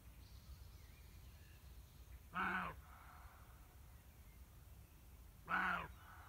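Two loud, hoarse barks from a roe deer ring out, each short and rasping, spaced roughly three seconds apart. Between them the surroundings stay quiet, with only a faint low rumble.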